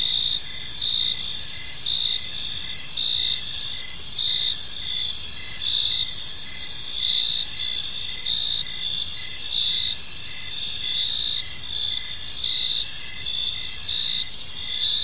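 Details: Park crickets calling in the evening, a constant high-pitched ringing chorus with soft periodic pulses and overlapping layers of insects, backed by a low steady ambient hum.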